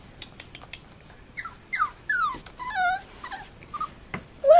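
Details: Female Cavalier King Charles Spaniel puppy whimpering while looking for a place to bury her bone. Thin, high whines slide steeply downward in a run of short cries, and the clip ends on a final wavering whine.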